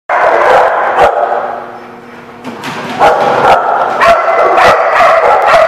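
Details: Several dogs barking at a boarding or kennel lot, sharp repeated barks overlapping in a dense, noisy chorus, about three to four barks a second, with a brief quieter lull midway.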